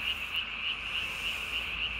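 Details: At night on 3 May 2020 a Japanese tree frog calls with its throat sac inflated to body size; sharp, high nasal pulses come roughly every 0.3 seconds above a constant shrill chorus background.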